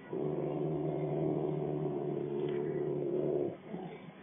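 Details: Rottweiler showing attitude, giving one steady, rumbling, low-pitched growl of about three and a half seconds, then a fading quiet tail.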